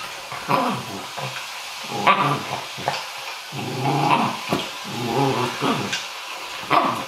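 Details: A confused dog battling its own reflection on a laptop screen: rough low growls broken by short sharp barks and whiny yips, irregular bursts through the recording with brief pauses between.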